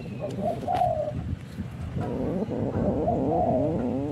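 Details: Orange domestic cat in a fight, giving short nasal moaning yowls near the start and again after three seconds, wavering in pitch, over a constant low hum and some rustling.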